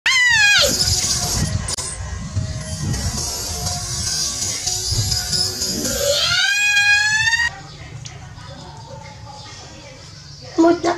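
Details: Baby monkey Dewdew calling loudly for its mother while she is busy working: high, strained wailing cries with sweeping upward bends, strongest at the start and again near six seconds, backed by music, then a quieter stretch.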